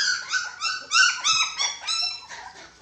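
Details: At mealtime a litter of six-week-old dachshund pups, joined by a white Japanese Spitz, gives a short burst of piercing whines that bend upward, roughly four to five per second, fading toward the end.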